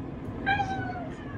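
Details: Black-and-white female cat giving a high, sweet meow while waiting after a bath: one clear harmonic-rich cry of about half a second, holding steady then gently falling, over low room hum.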